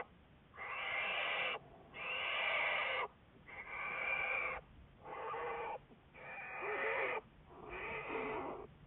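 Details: Recorded on February 10, 2014, the researched American black bear Juliet repeats loud, grating breathy calls, about one per second and a half, each lasting close to a second with a slight nasal tone in the later ones.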